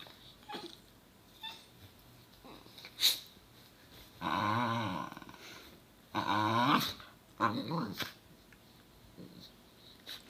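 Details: Two Basenji siblings fighting over a tail attached to one of them, indoors; two loud harmonic growls of about a second each, then a shorter snarl, between scuffling, quiet sniffs and sharp clicks.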